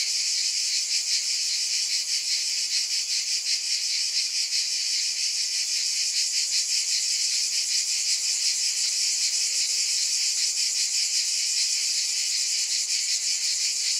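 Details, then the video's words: Cicadas buzzing in a steady, dense high-pitched drone that pulses faintly about two to three times a second, with no other sounds. "Scintillating Cicadas 1 hour White Noise"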